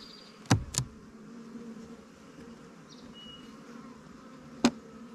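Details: Honey bees at a queenright split hive about 20 days old, strong in population and drawing comb in the honey supers; a low steady hum runs throughout, with three sharp knocks from hive handling.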